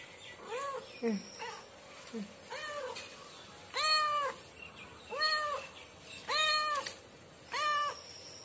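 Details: Domestic cats and a kitten at home: a few soft low calls, then six clear arched meows, each rising and falling, spaced about a second apart, with quiet room noise between.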